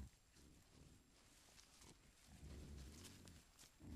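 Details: Camera-trap recording of a group of wild boar with young searching for food in Foreste Casentinesi National Park, Italy: low, soft grunts in short, irregular bursts.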